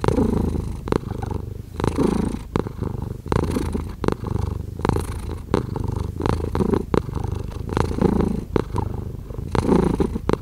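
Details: Low cat purring, choppy and uneven, broken by frequent short clicks and crackles over ten seconds.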